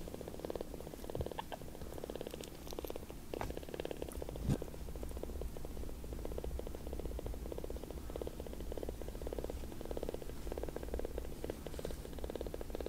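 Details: Newly rescued palm-sized kittens purr loudly as they seek affection and suck on a finger; the deep, rhythmic rumble runs unbroken, with a brief click of handling near the middle.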